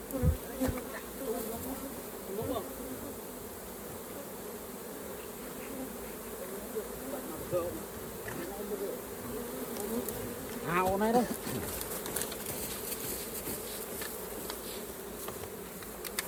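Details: Honey bees at an open hive during a raw honey harvest, a dense steady low hum with a rising whine near eleven seconds, plus scattered clicks and knocks from handling.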